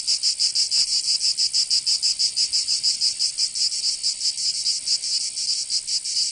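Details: Cicadas singing in summer in Provence, southern France: a dense, buzzy high-pitched drone pulsing rapidly, about four beats a second, steady and continuous throughout with no other sounds.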